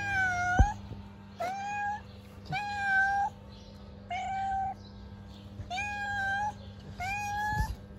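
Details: Street-living stray cats, hungry and about to be fed, give a run of loud, even meows roughly every one to one and a half seconds, each a steady tonal cry lasting under a second, over a low constant hum.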